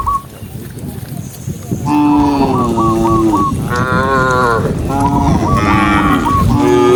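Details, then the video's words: Cows leaving the pen and running down a green hill to look for grass on a bright morning give loud, overlapping drawn-out moos after a quiet start, with a low rumbling background and faint high whistled chirps. "cow sound cow Moo"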